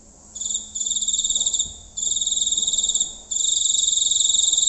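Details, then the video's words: Close night recording of a giant cricket in a village area, shrill pulsing trills in several bursts of one to two seconds separated by short gaps, growing longer toward the end, over a faint steady low hum. "Suara Jangkrik Raksasa"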